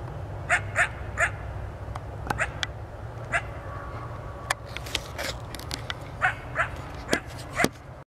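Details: As it got dark, a coyote about 200 feet or more away gives a rapid series of short, high yips. Scattered clicks and crackles and a steady low digital noise come through, busier toward the end.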